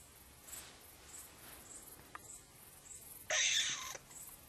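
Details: Edible dormouse in Slovenia, frightened after peeking out of a hole, gives a single harsh, hissing burst of about half a second, broad and raspy, over faint rhythmic high ticking in the background.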